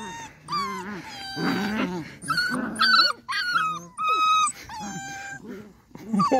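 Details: Beagle puppies playing outside in their enclosure, giving high whimpers, yips and squeals in quick overlapping bursts, with a person speaking briefly.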